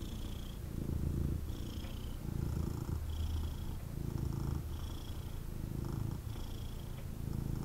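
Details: Cuddled male kitten gives an intense, throaty purr in steady in-and-out bursts about every second and a half, with a faint nasal whistle riding each breath.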